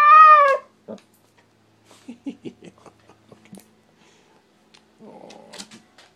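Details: A 17-month-old female Siberian Husky gives a loud, wavering, harmonic 'woo' in her daily 'talking', asking to go outside where landscapers are working.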